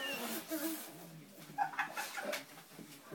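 An Alaskan Malamute gives short, wavering, talkative woo-like calls in greeting, with a person speaking nearby.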